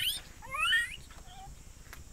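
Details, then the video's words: Gibbon in Myanmar giving bright rising whooping notes with harmonics, a couple of upward sweeps followed by a short level tone, then quiet background hum. "Gibbon from myanmar"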